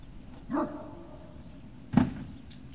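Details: Great Dane puppies, recorded on 18 November 2018, give two short vocal bursts: a harmonic yelp early on, then a louder, rougher bark-like yelp about a second and a half later, over a low background rumble.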